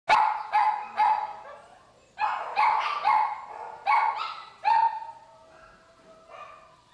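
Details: Two baby Chihuahua mix puppies in a shelter, huddled together: high whining yelps with tonal cries, several short bursts in quick succession followed by a softer fading whine.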